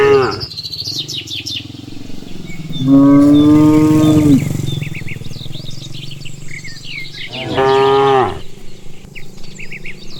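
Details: Village cattle herded home after grazing, one cow giving a long steady low moo followed by a shorter rising moo, with constant chirping birds and a low rumble between calls.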